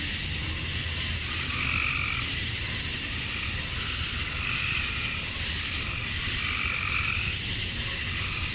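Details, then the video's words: Male cicadas chirping to attract females at summer dusk in Georgia, USA: a dense, unbroken high-pitched hissing drone that holds steady throughout, with fainter, lower warbling calls that swell and fade every couple of seconds. "Cicadas at Dusk, Summer Night"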